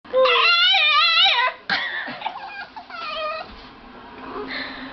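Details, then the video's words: A dog makes playful, funny vocal sounds: high wavering whines and yips that bend up and down in pitch, a long whimper followed by shorter squeaky cries, with a person speaking nearby. "Three funny sound made by dog"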